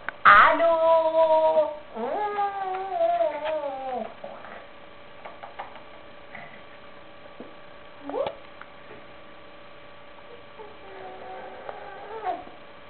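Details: Buffy, a Chihuahua puppy, gives two long, loud, falling whining cries over the first four seconds, then brief yelps near eight and twelve seconds, indoors with faint room noise between calls.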